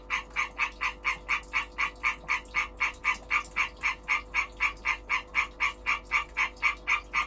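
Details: Male-style breeding chorus call of a European green tree frog, a brisk series of clipped raspy notes about four per second, even spacing and volume, with only a soft hum behind.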